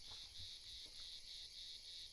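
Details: Cicadas singing in the evening at a quiet wild camp beside a river in a valley in Andorra, after rain: a steady, high, buzzy drone that pulses gently in volume, with a fainter thin hiss above it and no other clear sounds.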